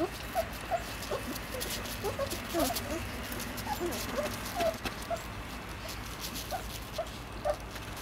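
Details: East European Shepherd puppies, three weeks old, feeding at their mother; thin squeaks and brief whines come in scattered bursts, some sliding downward, over a low background rustle.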